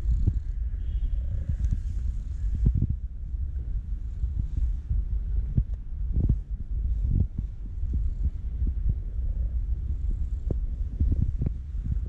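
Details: Female calico stray cat on an Istanbul street purring loudly for affection, ignoring food while another cat eats; a steady low throbbing rumble runs throughout, broken by soft handling bumps and clicks.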